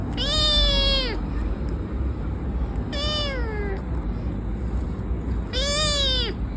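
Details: A domestic cat calls when touched, giving three drawn-out meows about every two and a half seconds, each rising slightly then sliding down, over a low steady background rumble.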